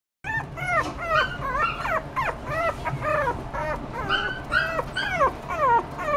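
Toy Poodle puppies give high, rapid whimpers and yips, each falling in pitch, overlapping one another.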